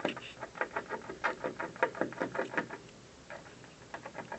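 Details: Squirrel on a windowsill gnawing at an office building in the afternoon: a fast, uneven run of dry crunching clicks for about three seconds, then a few scattered bites.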